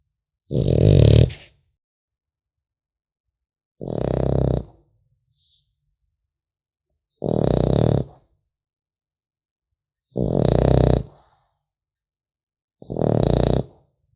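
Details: French Bulldog puppy asleep indoors, snoring in five loud, low, rasping bursts spaced roughly three seconds apart, each breath rough and buzzy with a faint whistling edge, silence between.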